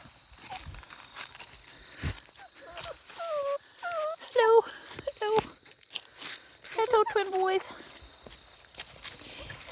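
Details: Australian Shepherd x Border Collie puppies from Domino's litter, 5.5 weeks old, 8 October 2023: a run of short, tonal whines that slide downward, several close together mid-clip, then another cluster, with a woman talking to the pups throughout.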